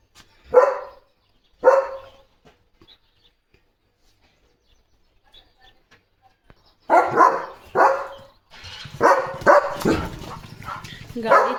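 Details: German Shepherd barking at cattle or a passing bike outside the gate: two loud barks, a long quiet stretch, then a burst of rapid barking with a man's voice mixed in near the end.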